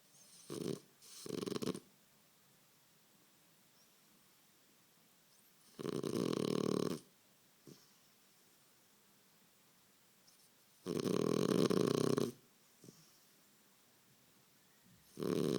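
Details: Snoring French Bulldog while sleeping: a series of rough, buzzing snores at irregular intervals, some short and doubled, others lasting over a second, separated by silent stretches.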